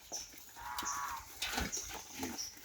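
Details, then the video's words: Native pig eating madre de agua: a drawn-out, tonal, squeal-like cry in the middle range, with crunchy chewing clicks throughout and thin, high whistles recurring at intervals in the background. "Native pig namin kumain ng madre de agwa"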